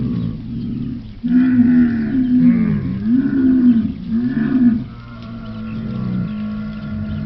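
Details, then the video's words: Camel giving a deep, drawn-out roaring groan. It swells and dips in several wavering pulses over a few seconds, then fades into a lower, steadier rumble. "the sound of a camel,звук верблюда"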